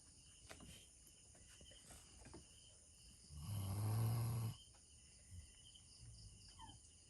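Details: Doberman Pinscher named Bella, asleep in a funny position, lets out one deep, rumbling snore about halfway through; the rest is quiet with faint room hum and soft rustles.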